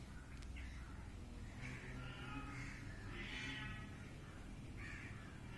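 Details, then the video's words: High-pitched kitten mews, several short nasal cries in close succession, some drawn out slightly longer, set against constant low-frequency background hum. "anak kucing meong-meong | anak kucing meow | bunyi anak kucing meow"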